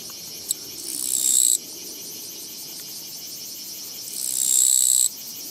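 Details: Japanese katydid on a walking path, recorded 24 August 2017: a brief tick followed by a rasping buzz that builds and cuts off, then a few seconds of quiet before another rising, abruptly ending buzz.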